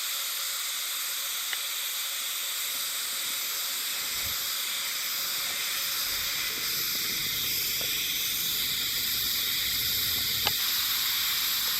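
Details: Unseen Hime-harusemi cicadas singing in Yamaguchi Prefecture, Japan, on 19 July 2022 form a steady, shimmering high-pitched wash that never pauses, while faint low rustling drifts in the background.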